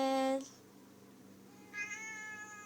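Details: Female pet cat that loves to talk and sing along, caught yawning: a loud, short, harmonic meow opens, then a quiet pause, then a softer, drawn-out, yawning vocal sound near the end.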